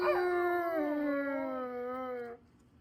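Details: A Siberian Husky joins a pack howl with other huskies, apparently its grown puppies, giving a long, steady howl that slides gently downward before stopping abruptly.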